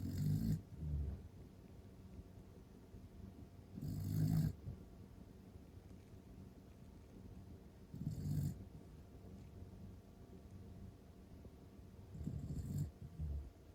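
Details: Corgi asleep indoors, snoring softly: low, breathy snores repeating about every four seconds, each lasting half a second, in a quiet room.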